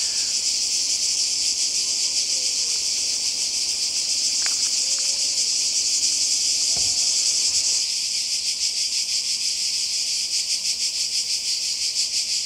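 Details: Cicadas by the sea in Croatia during a summer 2020 holiday: a dense, high, hissing buzz with a rapid pulsing shimmer that never stops. A few faint, short whistled notes rise and fall in the middle, and the texture shifts slightly near the end.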